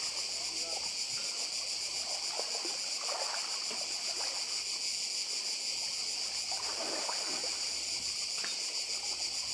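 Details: Cicadas massed on the island of Badija, Croatia, with the sea close by: an even, piercing, high-pitched hum pulsing finely without pause, accompanied by occasional splashes and light water sounds underneath.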